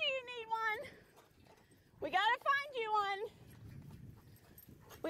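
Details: An Alaskan Malamute out by a river, hitched to a beach bike, voicing drawn-out, richly harmonic moans that slide gently downward, three sustained tones in quick succession with a brief rising call at the end.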